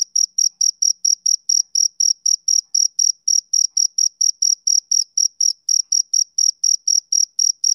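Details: Steady high chirping from a male cricket on a summer evening, short piercing pulses about twice a second in a regular rhythm against complete quiet.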